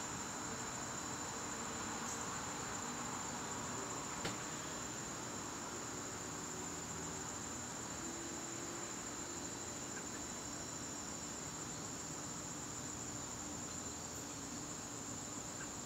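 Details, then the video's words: Crickets heard in a garden during a September evening, their high continuous trill steady from start to finish, with a couple of faint clicks and quiet low background noise. "garden crickets"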